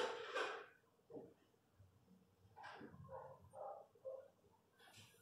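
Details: Newborn Miniature Pinscher puppies during a natural birth indoors: short harmonic squeals and whimpers in a cluster of four or five, with broader noisy bursts at the start and end, in a quiet small room.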